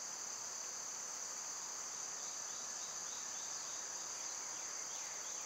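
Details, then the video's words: Summer cicada song: an unbroken, high, hissing buzz at constant loudness, with a few faint chirps of birds behind it. "Cicada sounds"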